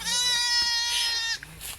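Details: Garole sheep lamb about five or six days old, bleating while its keeper calls it during feeding; a single long, high, harmonic-rich bleat held steady for over a second, then a short fainter tail.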